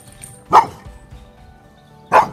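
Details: Fearful female Cane Corso, prone to running away and the subject of neighbours' complaints about barking, barks during an aggression test: two sharp, loud single barks about a second and a half apart over soft background music.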